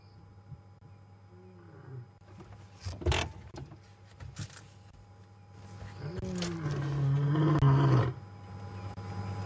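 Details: Ginger Matimba, a male lion, on an April 4 WildEarth afternoon safari drive, starts a roaring bout with a low moaning call that rises in strength near the end, over steady vehicle engine hum and a few sharp knocks.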